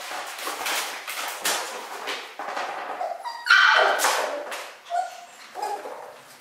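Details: Two miniature schnauzer puppy brothers born on 10 October, giving short, thin whimpers and yips in uneven bursts, with a clearer drawn-out high whine near the middle and a few brief squeaks toward the end.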